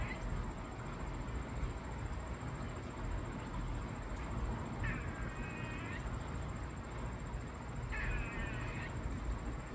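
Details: Squirrel making an odd sound: two short, buzzy, wavering bursts of a mid-high, harmonic call about three seconds apart, set against heavy low rumbling background noise and a steady high whine.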